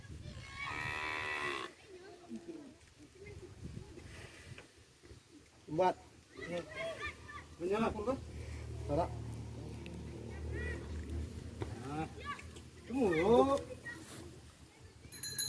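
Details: Bali cattle on a farm: one strong moo of about a second opens the recording, then people talking and moving around with scattered knocks and voices. Low rumbling background throughout.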